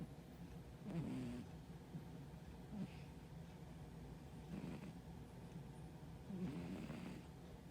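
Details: Sleeping brown tabby cat, currently dieting, snoring softly: four short raspy breaths roughly every two seconds, low and throaty, against a constant background hum.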